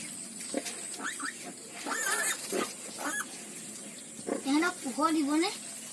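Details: Newborn piglets, one of a litter of ten born on a farm, give wavering squeals that rise and fall near the end, with a few short grunts earlier and faint background chatter.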